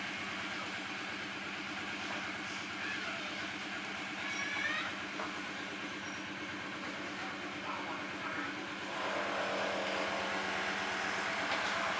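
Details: Steady rhythmic rumble and clatter like a passing train, growing louder toward the end, with no animal voice.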